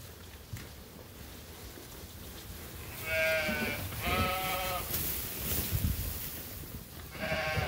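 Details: Sheep at Ewetopia Farms calling while they wait to be fed during farm chores: quavering bleats in a cluster near the middle and another at the end, over low-level shuffling and farmyard noise.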